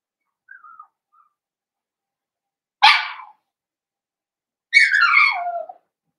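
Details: Cavalier King Charles Spaniel puppies, blenheim littermates born around New Year's, in an indoor pen. A faint soft whimper gives way to one sharp yelp and then a longer, drawn-out whine that falls in pitch, with silence between.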